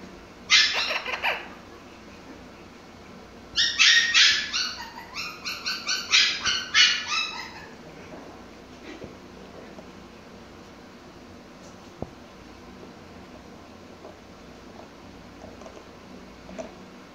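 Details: Pomsky named Mikey barking while playing with his toys, a quick burst of high, sharp yips near the start, then a rapid run of about eight barks, followed by quiet with faint rustling.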